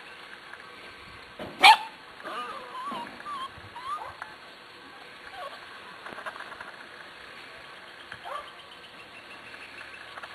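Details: Corgi puppies, eight weeks old, of the Zoe and Strut litter, filmed 13 March 2011: a sudden loud bang, then a run of squeaky rising whimpers and brief yips that fade out, with a person speaking gently.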